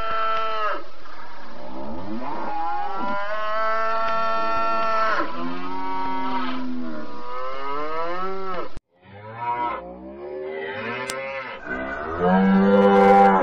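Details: Several long moos from cattle, called sapi and lembu in Indonesian, each a deep, drawn-out bellow with a wavering pitch; a sharp break near nine seconds is followed by softer, rougher lowing that grows louder toward the end.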